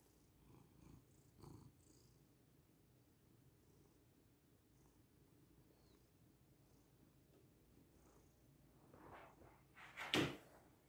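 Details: Domestic cat Lily, relaxed and settling onto her owner as a human mattress to get comfortable, purring: a soft, steady low rumble runs throughout with faint rustling, brief shuffles near the start and a sharp rustle near the end.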